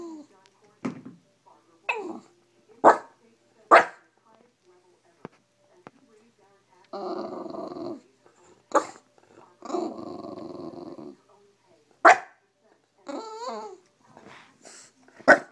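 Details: A Bulldog grumbling its morning complaints indoors, mixing short sharp yelps and snorts with two longer rumbling, moaning growls near the middle, separated by quiet pauses.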